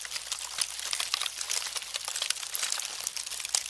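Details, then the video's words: Termites make a dense, dry crackling of tiny rapid clicks and ticks, like crinkling paper, steady throughout with no other sounds. "Termits sond"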